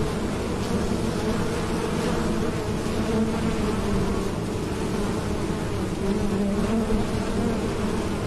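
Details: A steady, low droning hum of many bees buzzing together without pause, recorded at a farm in the Cambodian countryside.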